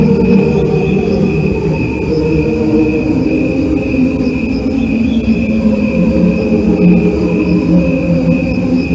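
A dense cricket chorus: a steady high trill over layered, humming lower tones that swell and fade.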